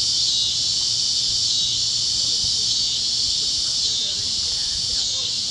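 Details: Kansas fields at sunset with cicadas chirping: a continuous shrill insect hum, even and unwavering, filling the high register with no pauses, over a soft low background murmur.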